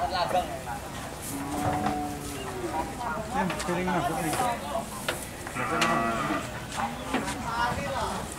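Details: Cattle riding in a vehicle on a tour between markets, giving several low, drawn-out moos with rich harmonics, some rising and falling, over engine rumble, human voices and background music.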